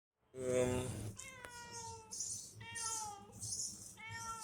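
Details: Loren, a pet cat, meows in the morning at a small roadside shop, speech opening the clip, then three clear harmonic meows, each level then slightly falling, separated by short pauses, with faint background hiss.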